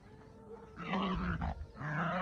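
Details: Male Pomeranian-Chihuahua mix, born June 2015, wildly excited while playing ball at a dog run, gives a monster-like voice: rough, low growls that swell loud and hold with brief breaks.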